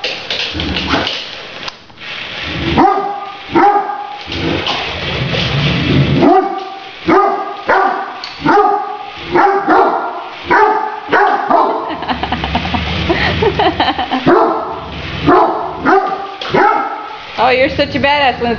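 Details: A Great Dane reacts to a remote-controlled toy tarantula with a long run of repeated deep, hoarse barks, about a dozen spaced roughly a second apart, with music playing underneath and a voice now and then.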